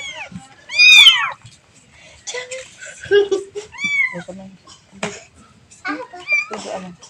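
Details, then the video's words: Kitten calling for its mother: one loud, rising-then-falling high mew near the start, followed by several shorter, fainter mews and soft indoor noises. "The sound of a baby cat calling its mother"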